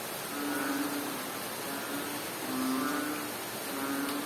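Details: In Bohol, Philippines, a frog gives strange low, droning hums, each about half a second long, over steady relaxing rain.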